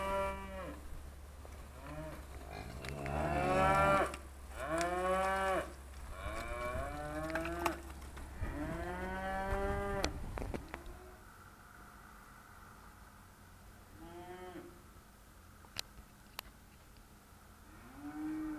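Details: Trained Charolais cows called by their owner, 2017, give a run of loud arched moos, one every second or so for about ten seconds, then quieter lows; a steady low hum runs underneath and a man coaxes them.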